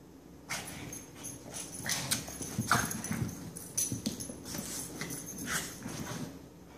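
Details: Two dogs, Benny and Lilly, going crazy again: rapid, uneven bursts of sharp broadband yelps and huffs, some close together and some spaced about a second apart, over a steady low background rumble.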